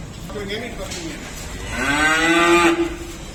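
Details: White water buffalo, a cow with her calf, being unloaded from a mini truck at a dairy farm after purchase: one drawn-out, rising bellowing moo swelling in the second half, over steady background rumble and hiss.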